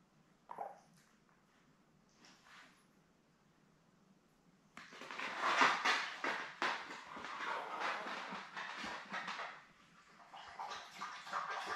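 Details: Week-and-a-half-old Labrador Retriever litter of seven with mother Belle indoors on a puppy cam, June 4: a quiet start with a few faint noises, then a dense run of clicky, snuffling sounds with a high squeak mixed in.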